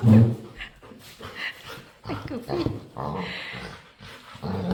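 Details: Playful dog begging to play, making weird noises: low, rough grunting barks and short whimpers in uneven bursts, a loud one at the start, while a person talks over it.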